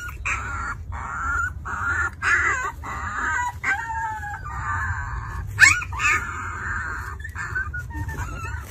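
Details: Newborn Alaskan Malamute puppies, two weeks old, making steady squeaky whines that waver and overlap, with a few sharper cries, over a constant low rumbling hum.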